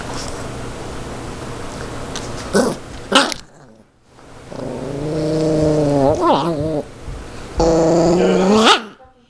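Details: Pet Yorkshire Terrier fighting over a zucchini, giving tonal, warbling growls that rise and fall in pitch. The growls come in uneven bursts with short pauses, and a sharper rising whine near the end.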